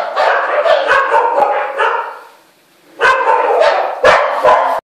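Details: Scared Samoyed mix dog barking rapidly and harshly, then pausing for about a second before a new burst of quick barks starts.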